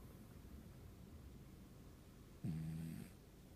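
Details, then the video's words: Sleeping cat snoring indoors: one low, rasping snore breath about half a second long, with a steady buzzing drone, rising out of a quiet room hiss midway through. "ネコのいびき・・・Snoring of the cat"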